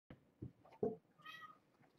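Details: Domestic kittens during indoor play time, from a litter of five born on 22 November 2014 to a mother rescued as a pregnant stray; a few soft thumps, then one short, clear meow.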